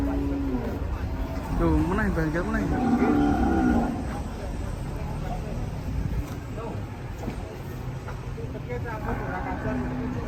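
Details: Raging cattle, sapi ngamuk, bellowing loudly: a long wavering moo that rises and falls over about two seconds, followed by fainter lowing, with people talking and steady background noise.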